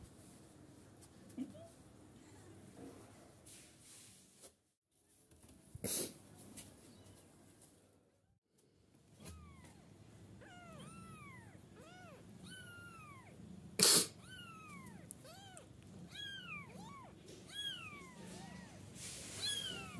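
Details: Young kittens, 9 to 14 days old, mew in a rapid overlapping chorus of high, arched cries rising then falling, several each second in the second half, after a quiet stretch broken by loud clicks and thumps.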